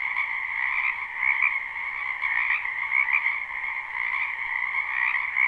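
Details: Spring frog chorus from a backyard wetland, recorded live without looping: thick overlapping croaks and trills forming an unbroken wall of sound, with brighter individual calls poking out now and then.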